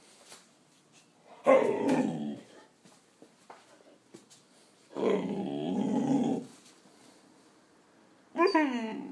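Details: A 5-month-old male Cane Corso gives two long, rough, rumbling growls, then a sharp, falling whine.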